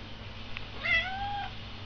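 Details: Domestic cat meowing at feeding time: one drawn-out, slightly rising then level meow lasting over half a second, in a quiet indoor room.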